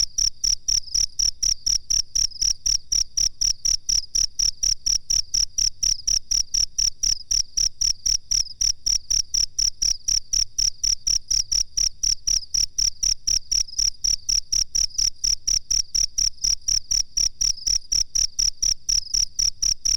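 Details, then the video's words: Cricket recorded as a master track for training songbirds: a steady, high, ringing chirp pulsed about four times a second without pause for twenty seconds, each pulse sharp and even, with no other sounds. "suara jangkrik masteran"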